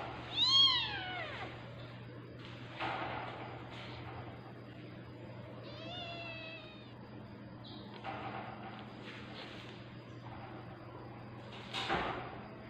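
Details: Tabby cat giving birth, producing a loud arching meow at the start, then a higher quavering cry and a short bleat later, over constant low electrical hum and rustling.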